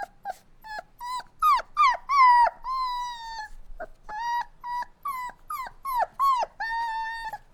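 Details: Puppies whining in bursts: high whimpers with rich overtones, some drawn into longer howl-like cries, with brief gaps between clusters.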